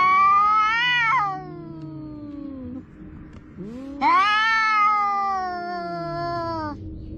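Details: Pair of cats arguing by the sea, an orange one among them: a high quavering yowl falls into a low groan, then after a pause a second long strained wail rises and slowly drops.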